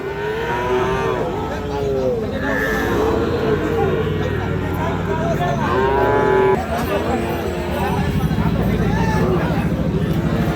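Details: Sahiwal calves offered for sale at a cattle market, one about four months old; a couple of drawn-out, harmonic moos rise above steady crowd chatter and bargaining voices, with a second lowing near the end.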